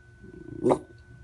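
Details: Pet dog barking when it hears noise, indoors: a single short, sharp bark, abrupt and loud, amid quiet room hum.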